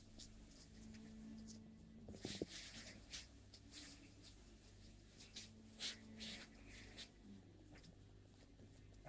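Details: A long-eared hedgehog feeds, making brisk wet crunching and smacking clicks spread irregularly through the recording, with a faint constant low hum behind.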